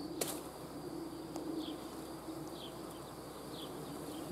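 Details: Bee swarm with a steady mid-low buzzing hum, one sharp click near the start, and faint high chirps sounding every second or so.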